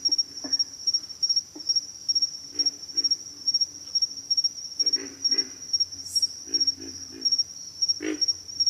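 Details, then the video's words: Pig frogs calling with low, rough grunts in short bursts, some doubled, scattered irregularly over a steady high pulsing insect chorus that dominates the background. "pig frogs - sound effect"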